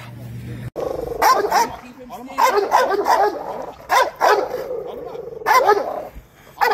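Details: Dog at an urban dog show barking repeatedly in loud, uneven bursts roughly once a second, mixed with human voices and crowd noise.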